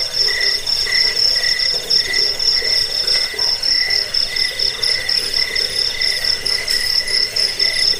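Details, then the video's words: Continuous high cricket chirps, meant for scaring off rats, bedtime listening and training cage birds; rapid pulsed trills come in regular bursts with a faint lower ringing tone beneath and a few brief clicks. "Suara jangkik pengusir tikus pengantar tidur"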